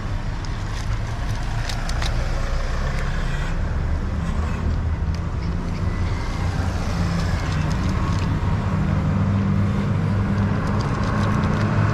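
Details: Steady low rumble of road traffic and engines, with no animal voice heard. Only vehicle noise fills the recording.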